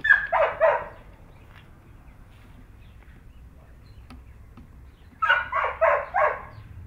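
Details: Chocolate Labrador Retriever puppy, stuck at the top of stairs it can't get down, gives two quick bursts of high, sharp yips, three at the start and four more after a five-second pause, with little else heard.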